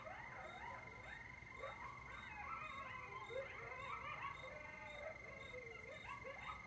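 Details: Late-night chorus of coyotes beside Lake Mendocino in October 2022, heard from a lakeside porch: many overlapping quick yips and short rising-falling howls, frantic and tangled, with a constant high-pitched whine underneath.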